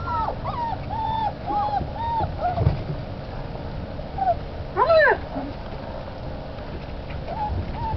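Alaskan Malamute puppies whine in short arched squeaks, with one louder rising yelp.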